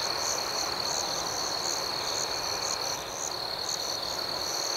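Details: Crickets in the night giving a shrill, even chorus, with pulsed chirps repeating a few times per second over a steady high drone. No louder nearby caller stands out.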